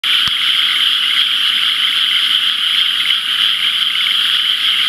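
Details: Dense frog chorus in rice paddies filled by the previous day's rain, irrigation channels still dry; a continuous high, shrill trilling wall of many overlapping callers with a steady pulsing texture and one brief click near the start.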